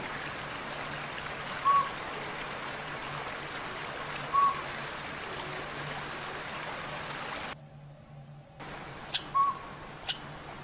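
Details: A squirrel in backyard woods scolds with sharp, high chips every one to three seconds over a steady hiss of running water, apparently upset by a northern pygmy owl nesting in a nearby hollow tree.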